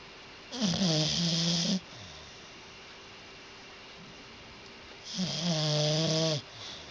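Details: A sleeping dog snoring loudly indoors: two long, rasping, droning snores, each lasting over a second, separated by about three seconds of quiet breathing.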